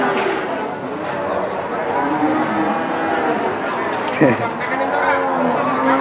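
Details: Very large Limousin cattle at the biggest livestock market in Central Java, Kunden market in Wirosari, Indonesia; a few low, drawn-out moos rise out of steady crowd chatter and market bustle.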